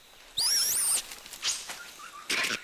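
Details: Red colobus; alarm call; warning of a snake, understood by other monkey species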